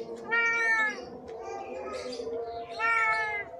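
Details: Starving, thirsty stray cat with severe scabies, crying to ask for help at a home; two strong drawn-out meows about two and a half seconds apart, with a quieter sound and soft speech between them.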